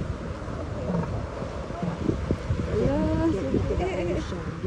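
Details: Northern elephant seals in California vocalizing, including a young one: low guttural grunts and rumbling calls with a rising, wavering moan, mixed with people talking nearby.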